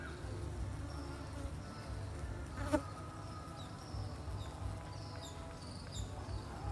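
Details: Bees building their hive in a pot hung on a tree, making honey; a low, steady humming drone throughout, with one sharp click near the middle and faint high background sounds.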